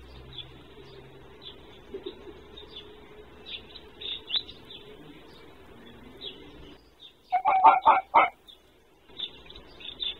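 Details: Red fox (Vulpes vulpes), bark.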